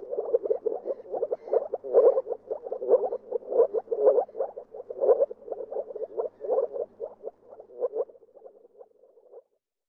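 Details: Moor frog producing a rapid series of soft, low, knocking pulses that stays strong, then thins and fades away near the end.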